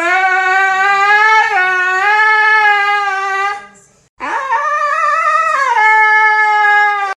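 A Siberian Husky gives two long, wavering howls to get its owner's attention.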